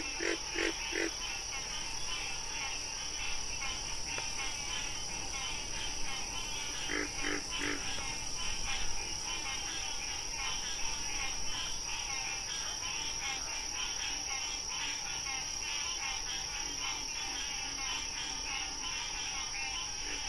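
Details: Wild frog calling: short harsh croaks with stacked overtones, in small bursts near the start and again around seven seconds, over a dense chirring chorus of other callers and a steady droning music tone throughout.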